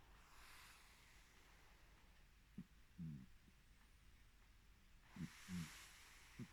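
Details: Two sleeping cats, Rosie and Molly: Rosie breathes heavily with another cat's fur squished against her face, while Molly makes her creaking-style snore. Soft hissing breaths rise and fall, broken by short low creaky pulses in small clusters about two seconds apart.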